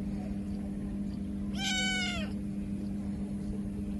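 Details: Kitten crying pitifully after losing its mother: one strained, harmonic meow of under a second that slides downward at the end, set against a steady low background hum.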